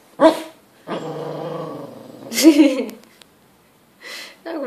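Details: Carol the pet dog answers a person in a back-and-forth 'conversation': loud harmonic grumbling growls, a drawn-out moaning vocalization and a sharp opening yelp, separated by silences, with brief human speech near the end.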